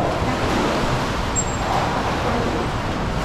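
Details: Steady broadband rumble like surf or distant traffic, with no animal voice heard. A faint brief high tone passes midway, but nothing that sounds like a call.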